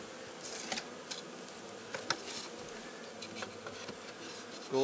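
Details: Honey bees hum steadily during a spring hive inspection and bottom-board change at Heiðmörk, Iceland, April 21, 2012, one droning louder and closer at the end, with clicks and knocks of handling.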